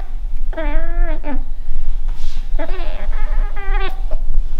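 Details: A pet Scottish Fold, female, talking to a fly with drawn-out warbling meows, each bending down at the end, broken by short chirps and a brief breathy pause, with low background hum throughout.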